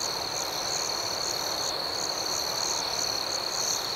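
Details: Outdoor night ambience of crickets, with a constant piercing trill and a higher pulsed chirp returning roughly every third of a second, even volume and a faint hiss beneath.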